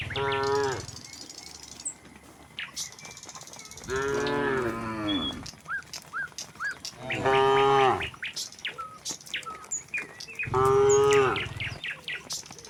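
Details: Herd of tame cattle strolling from the next village toward their pen: four drawn-out, strongly harmonic moos spaced a few seconds apart, with small birds chirping steadily in the gaps.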